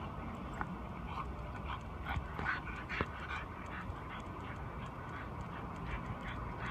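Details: Two puppies, a Chinese Shar Pei and a French Bulldog, play-fighting; short muffled growls, grunts and squeaky yips come in irregular bursts over steady low background noise.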